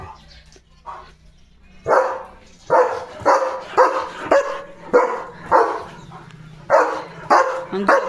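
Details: Male German Shepherd guarding the home gate in the morning, barking at a strange dog passing by; a rapid series of about nine harsh barks, some in quick pairs, with faint low engine hum beforehand.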